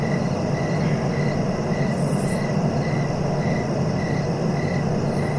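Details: Steady cricket chirping for sleep: evenly spaced short pulses roughly every half second to 0.6 seconds, partly buried under dense low droning noise, with one soft high hiss midway.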